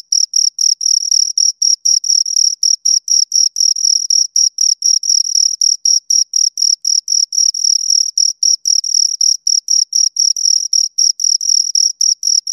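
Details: High, shrill cricket chirps from two insects, short buzzy bursts following one another at a fast even pace, some running together, clean recording without other noise.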